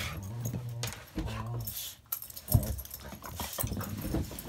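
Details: Two dogs, a Border Collie cross and a Rottweiler, at play inside a house give short, deep, rumbling growls in two brief bursts, followed by thumps, scuffles and a sharp knock.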